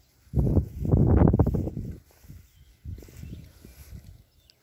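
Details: Berkshire pigs enjoying their new paddock, giving low, rough grunts in two bursts: a dense run of rapid grunting for nearly two seconds, a short pause, then a softer, looser series of grunts.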